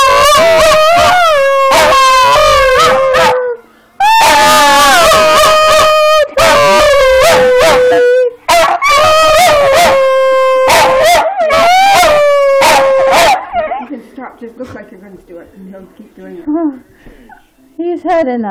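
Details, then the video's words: Domestic Schipperke howl-singing with its owner, a series of long wavering tonal howls separated by short breaks, then fading into softer whimpering yips toward the end. "the Singing Schipperke"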